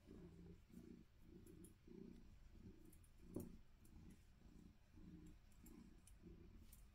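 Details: Remy, a Maine Coon cat in a playful happy mood, makes a low rhythmic rumbling purr in steady pulses roughly twice a second, with faint ticking clicks above it.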